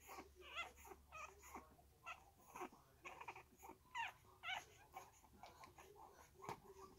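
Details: Three-week-old Staffordshire Bull Terrier puppies with their mother: soft, high, wavering whimpers and squeaks come in quick bursts about twice a second, repeated throughout over a quiet indoor hum.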